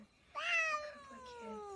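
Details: Domestic cat meowing indoors: a sharp harmonic onset followed by a long, slowly falling drawn-out tone lasting over a second.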